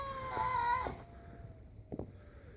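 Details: A stray cat making weird noises while facing another stray cat just before a brief fight; a single drawn-out tonal yowl with a steady pitch, followed by a short sharp sound and a person exclaiming quietly.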